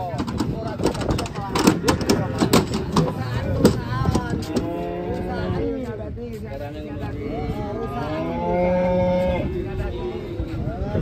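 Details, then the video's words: Cattle being unloaded from a truck, giving several long, drawn-out moos with wavering harmonic tones in the second half, after clattering knocks and thumps early on; people talking in the background. "KUMPULAN SAPI EXTRIM TURUN DARI TRUK"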